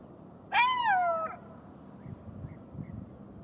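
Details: A single golden jackal wail, bright and harmonic, arching up then drooping over about three quarters of a second, followed by a few faint short chirps.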